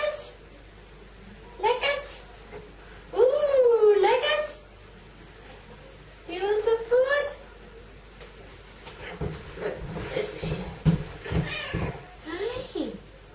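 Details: A hungry pet cat indoors, wanting her food, gives two drawn-out meows that rise and then fall, with a pause between them. A woman and a child then talk over soft room noise.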